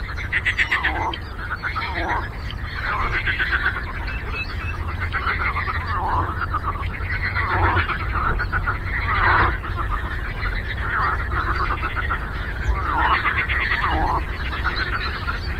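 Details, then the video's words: On a lake, a frog symphony of many callers gives overlapping pulsed croaks that swell and fade in waves every second or two, against a continuous low rumble. "Frog Croaking"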